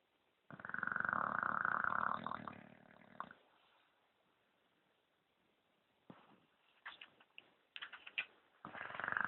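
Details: A sleeping English bulldog snores "like a man", with a long, harsh, rattling breath, then a pause and choppier snorts.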